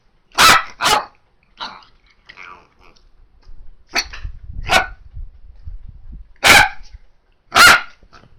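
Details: Freshly trimmed female Miniature Dachshund barking in hot early-summer weather after a haircut: paired sharp barks, softer huffs, then more loud single barks, about six in all, with some rustling and handling noise midway.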